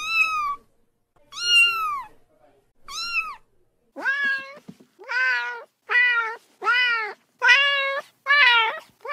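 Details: A cat meows repeatedly as a countryside rat repellent: three spaced arching meows, then a quicker run of about eight meows that grow louder and slightly harsher, roughly one every two-thirds of a second.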